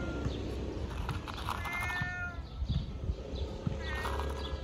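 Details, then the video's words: Hungry ginger fat cat meows loudly for food: a drawn-out, slightly falling meow followed by a second shorter one, over constant low-pitched background hum. "Ginger Fat Cat Meows Loudly Want to eat"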